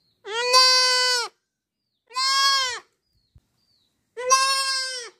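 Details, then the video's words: Young goat giving three strong, drawn-out baa bleats, the first two close together and the last after a longer pause, each steady and nasal with a slight quaver; otherwise quiet. "Goat baby sound 2022 | Best goat sound baa baa sounds for kids 2022|Amazing goat sound video part-24"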